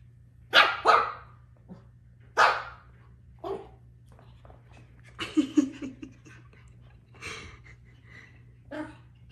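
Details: Two Pomsky puppies playing together give short, high yipping barks. A pair comes near the start and another follows at two and a half seconds. Then a cluster of rougher yaps and growly yips, with quiet gaps between.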